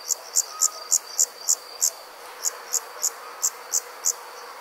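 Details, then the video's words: Insect calling on a summer night, likely a cricket: sharp high chirps about three per second, a brief pause near two seconds, then the rhythm resumes over a faint continuous hum. "Nighttime Insects Country Living, Nature | Comforting Summer Insect Sounds"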